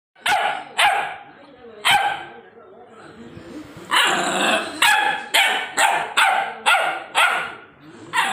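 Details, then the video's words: Angry white dog barking loudly: harsh, broad barks, three spaced ones then a rapid run of about eight barks roughly every half second after a short pause filled with softer growly sounds. "Angry white dog barking loudly"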